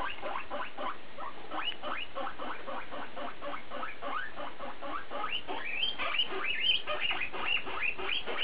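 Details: Guinea pig BooBoo vocalising: a continuous run of short squeaky upward-sliding notes, at first softer and lower, then louder, higher whistled squeals toward the end, with steady low hum beneath.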